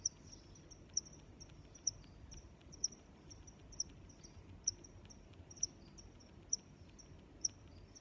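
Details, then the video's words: Crickets give piercing high chirps about every 0.9 seconds, nine clear strokes, layered over softer chirps from further crickets and a muted low hum. "Sounds of Crickets"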